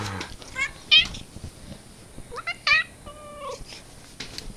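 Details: Domestic cat meowing: two short bright harmonic meows about two seconds apart, followed by a lower, longer drawn-out note, over a steady background hiss.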